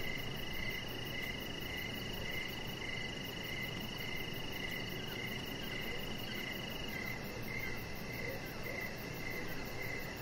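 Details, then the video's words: Crickets heard outside on an evening deck. Their clipped, high-pitched chirps come in a steady, slightly uneven rhythm over a continuous thin whine and low background rumble. "Cricket Sounds"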